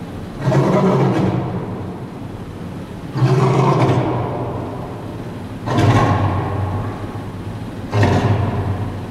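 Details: A lion and a lioness at Henry Doorly Zoo roar in deep, rumbling bursts repeated every two to three seconds.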